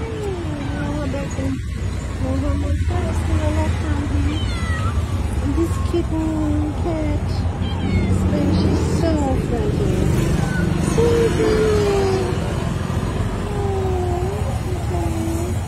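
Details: Stray street cat at night asking for food, giving a run of whining meows, the clearest a bright rising-falling mew near the end, with a person talking and low background rumble throughout.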